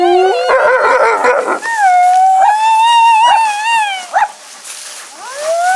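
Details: Gray wolves at Wolf Park on a howl night, 18 August 2018, howl in long, smooth, wavering tones in response to a crowd of people howling together on a count of three.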